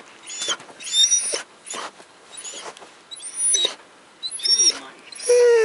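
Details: Pomeranian snapping at a Siberian Husky in a conflict between alpha male and beta male, recorded 29 October 2015 at 4:09 AM: about six harsh, loud bursts at irregular intervals, several carrying high thin whining squeals, ending on a sustained whine.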